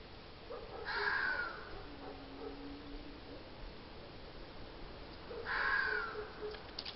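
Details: Red fox calling twice, about four and a half seconds apart: each call is a hoarse, scratchy cry that drops slightly in pitch, heard against constant faint hiss.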